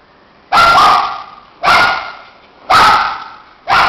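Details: Shih tzu pair playing so roughly they end up dishevelled; loud, harsh barks repeated about once a second, four in a row, each with a tonal core and a brief fade.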